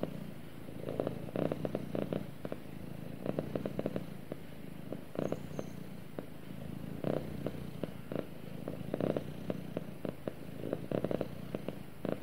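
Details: A cat purrs gently while snuggling against its owner, a soft low rumble pulsing in repeated swells through the recording, with occasional light clicks and rustling.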